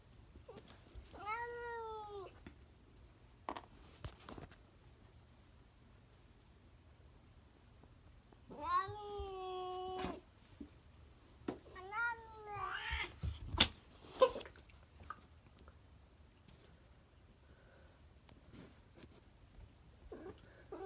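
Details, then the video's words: Domestic cat making odd noises: three drawn-out harmonic meows near 1.5, 9 and 12.5 seconds, each wavering and slightly falling, separated by quiet gaps with faint clicks and knocks in a small room. "Weird cat noises"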